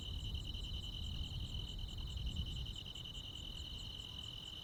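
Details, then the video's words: Midsummer night in the countryside, crickets and other insects: bright, rapid pulsed chirping held steady throughout, a second higher ticking voice, and low rumbling noise in the background. "시골 야간 귀뚜라미, 벌레 소리"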